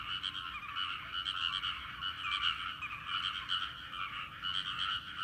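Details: Frogs calling together in a rice paddy, a seasonal sound: continuous overlapping rapid croaks forming a dense, unbroken rattling chorus with slight swells in loudness.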